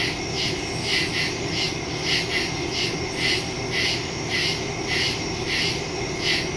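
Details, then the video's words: Nighttime woodland crickets, taped September 2, 2023 using a Samsung Galaxy S22 Ultra and a Shure MV88+ stereo mic: bright, harsh pulses roughly once a second, some in quick doubled bursts, over a steady shrill hiss and faint low rumble. "Crickets in the woods at night"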